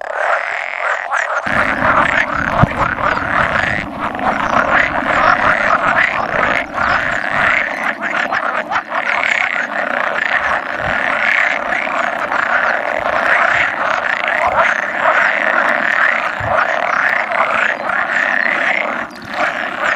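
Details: Spawning congregation of about 100 male pool frogs, 16 May 2017, with two edible frogs occasionally croaking; a constant churning chorus of rattling calls plus a low droning hum from a second onward.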